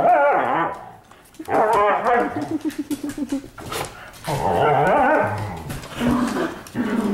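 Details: Pet dogs playing together in a living room at night, giving harmonic growling, whining vocalizations in bursts with a stuttering, pulsed stretch in the middle, with rustling and clicks of movement between bouts.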